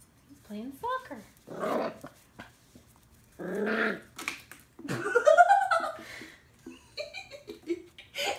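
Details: Lil Mac, a two-month-old Scottish Terrier puppy, playing indoors with a tennis ball for the first time: short growly yips and one rising-then-falling whiny cry, mixed with people talking nearby.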